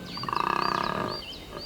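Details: A large collared male koala in Cape Otway gives a rasping, rapidly pulsed bellow, a mating call at the start of spring breeding season, with thin bird whistles behind.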